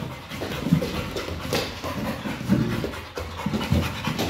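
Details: Pit bull named Kral playing with a Pilates ball indoors, breathing in quick, rough, noisy pants with soft thumps and rustling from the play.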